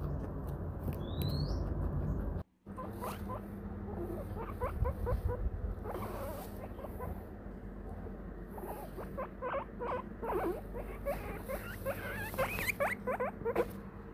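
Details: Guinea pig on a Christmas-themed recording, giving bursts of short, squeaky chirps that cluster in the second half, over a steady low hum with a brief dropout near the start.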